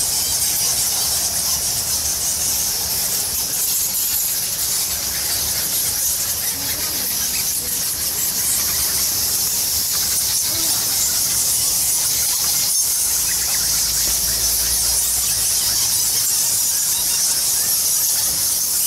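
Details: Bats by the thousand crowd a temple cave at Goa Lawah on Bali, and their massed squealing rings out as a continuous high-pitched sizzle of overlapping chirps, with a brief low rumble late on.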